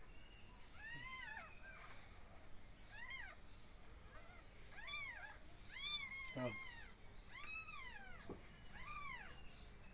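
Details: Kittens meowing, filmed in a garden while being fed milk: a rapid series of high, arched, rising-falling mews, about ten in ten seconds, with faint rustling and handling noises.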